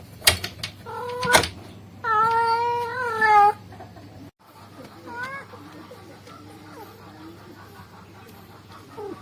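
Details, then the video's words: Male cat calling a female: sharp knocks at the start, then one long, strong, wavering meow, followed by faint, short, broken calls against background hum. "the sound of a male cat calling a female cat"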